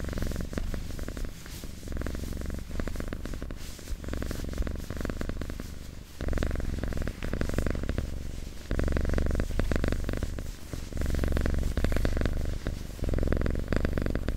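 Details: Domestic cat recorded up close while purring, a long low vibrating rumble alternating between inhale and exhale phases every second or two, briefly dropping out near the middle, with soft fabric rustles.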